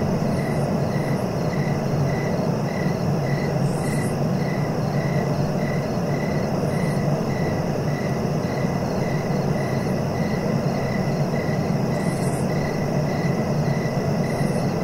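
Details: Rapid, regular cricket chirps repeat about every 0.4 seconds. Occasional brief, higher buzzy bursts break in now and then over a continuous low rumbling background.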